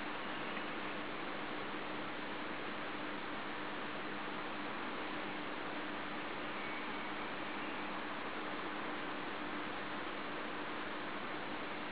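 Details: Steady broadband hiss like wind or a fan with a faint hum, and no animal calls.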